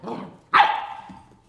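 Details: Bernese Mountain Dog puppy Zoey, nine weeks old, tries at 7 AM to rouse ten-year-old Max into play without success; a faint low sound, then one loud high yap that fades away, in a quiet room.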